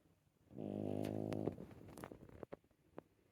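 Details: Puppy snoring indoors: one long, droning, nasal snore lasting about a second, followed by softer snuffly breaths and a few faint clicks.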